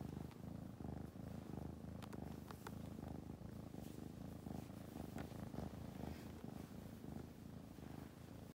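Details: A baby kitten purring: a close, continuous low throbbing purr that pulses in a quick breathing rhythm, with a few faint clicks and rustles on top.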